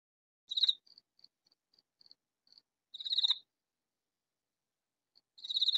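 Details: Katydid calling in a vegetable garden, hidden from view; loud harsh rasping bursts about every 2.4 seconds, with faint short ticks between them and no other sounds.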